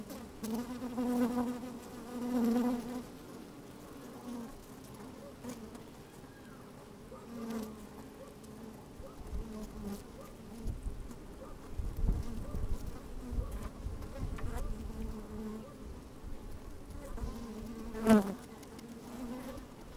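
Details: Bees busy inside an opened hive on a sunny, slightly windy day, recorded from a microphone slid into the hive: a droning hum with stacked harmonics that swells and fades, plus crackly movement sounds and a sharp tap near the end.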